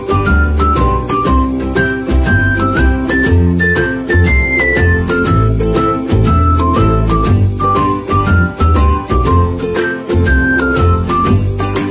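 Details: Upbeat instrumental music with a bright stepping melody over a steady beat and bass, with no animal sounds.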